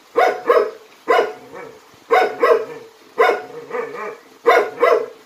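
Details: Jindo dog from a Korean Jindo dog performance troupe, barking loudly in quick doubled bursts, about eight sharp harmonic barks over five seconds with short pauses between the pairs, in a quiet setting.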